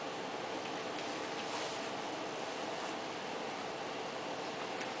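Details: Steady broadband rumble and hiss, like passing vehicle or train noise, fills the whole stretch with no animal voice.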